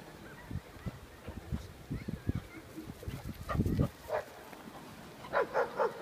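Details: Clumber Spaniel and Shepherd dogs at the Yadoriki dog run. Low thumps and rustling open, a short rough burst comes near the middle, then three quick, sharp barks close together at the end, over faint outdoor background.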